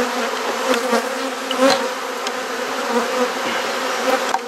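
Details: Dense, unbroken buzzing of a honey bee colony during a hive inspection in a Perth, Australia garden, the hum rising and falling gently, with a few soft taps from handling the frames.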